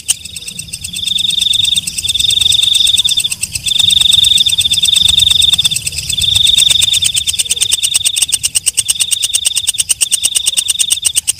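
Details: Walang kecek katydid heard at night, alternating sustained buzzy high trills lasting a second or two with bursts of fast dry ticking, the clicking quickening toward the end.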